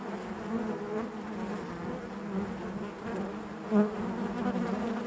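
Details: Steady, low buzzing of honey bees within the hive, a constant murmuring drone with one brief loud swell as a bee passes close.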